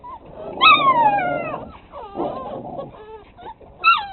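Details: Six-week-old pit bull puppies bark in high, thin yelps that slide downward into whiny notes.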